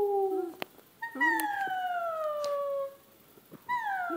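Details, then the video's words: Pet dog Daisy howling indoors as she sings along with her owner: long smooth tones slowly sliding downward, with a short break and a new howl starting near the end. "Daisy howling"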